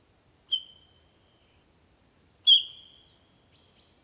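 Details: At Krasny Bor near Dobroplyosy on 3 October 2015, sika deer react to danger with two piercing whistles two seconds apart, each sliding slightly down and trailing away, then a fainter thin note, as they call to one another.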